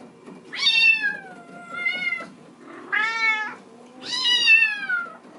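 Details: Bengal kittens in a kitten room, seen through a screen door playing on a cat wheel; one kitten, wanting to come out, bawls three loud, high, drawn-out meows, each rising then sliding down.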